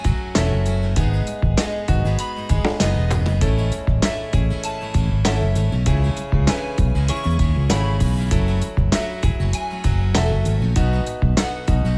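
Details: Upbeat instrumental music with guitar plays steadily throughout, and no animal voice can be picked out.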